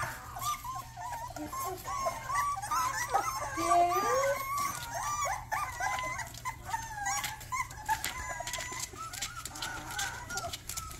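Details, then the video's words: Rottweiler puppy giving its first barks: a run of high, thin, wavering yelps and whine-like cries, rising and falling in pitch, coming in quick irregular bursts with faint background hum. "first barks"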